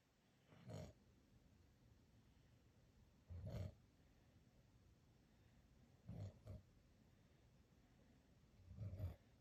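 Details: Sleeping dog snoring quietly indoors: four low, breathy rumbling snores spaced roughly every two to three seconds, each lasting under half a second, over a faint steady background hiss.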